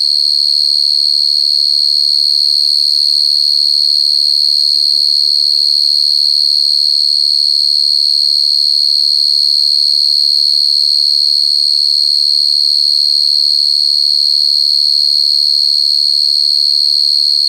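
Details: Cricket, heard very clearly: an unbroken, piercing high-pitched trill. It keeps a fast, regular pulse of about 200 per minute for over seventeen seconds, while faint low murmurs appear near the start.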